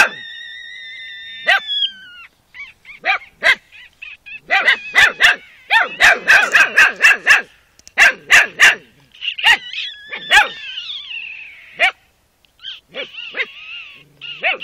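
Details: Several Carpathian Shepherd Dog puppies of the Romanian breed yelp and whine together. Bursts of rapid high yips alternate with longer quavering whines. The calling stops briefly near the end and then picks up again.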